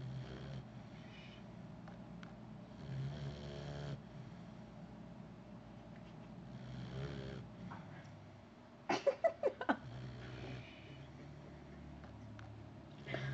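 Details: A sleeping female puppy snores in low, rumbling drawn-out breaths that come in long slow phases, with a short burst of sharp clicks near the end and faint room noise throughout.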